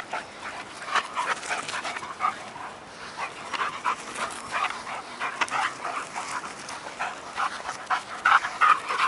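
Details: Nobi, a Working Mastiff pup of 10 months, tussles with Tasha, an 8-year-old bull terrier, for a stick. Quick irregular breathy bursts, almost three a second, mix with rough growling.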